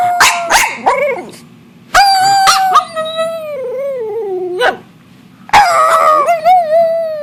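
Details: Pet dog making noises along with its owner: short sharp barks, then long wavering tonal howls that slide and dip in pitch, with a brief pause between them.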